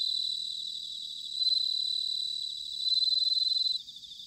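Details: Near a quiet autumn spot in Sanuki, Chiba, Japan, a bell cricket gives clear, high, bell-like pulsed trills, with two louder swells before the song drops away into scattered faint chirps.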